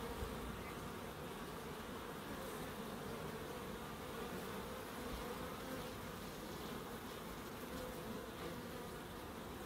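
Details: Continuous buzzing of bees foraging in a small wildlife garden in Crookes, a thick low drone with no pauses, level and steady across the whole stretch.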